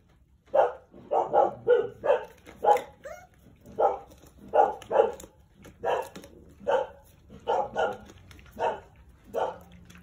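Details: Jindo dogs, a mother named Sarang with nine puppies, at their usual feeding and drinking time. Short, sharp barks come in uneven bursts, about seventeen in ten seconds, sometimes in quick pairs or triplets, against a quiet indoor background.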